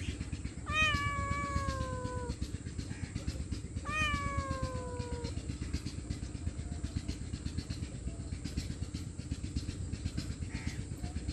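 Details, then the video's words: Homeless stray cat, hungry and pleading for food and shelter, gives two loud meows about three seconds apart, each starting sharply and sliding gently downward, against persistent low background rumble. "Hungry Poor Stray Homeless Cat Meowing Loudly For Food & Shelter"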